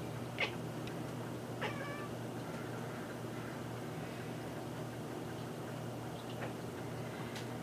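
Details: Indoor cat watching a bird at a feeder through a window, giving two brief sharp chattering calls near the start, the second a short harmonic chirp, then quiet with a steady low room hum.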